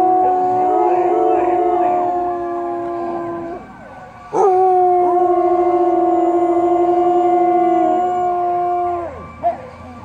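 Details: Samoyed dog howling in two long, sustained, level-pitched notes of about four seconds each. A short break separates them, and each note ends in a slight downward slide.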